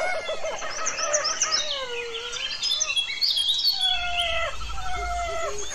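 Rhesus macaques give overlapping clear, whistled coos that rise and fall, several voices chirping almost like birds; a low rumble of background noise runs underneath.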